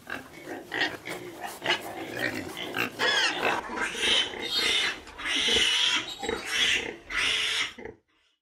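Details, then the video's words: Pigs screaming: harsh, shrill squeals that grow louder and more continuous toward the end, with short grunting bursts at the start, then an abrupt silence. "Pigs Sounds - Grunting and Screaming"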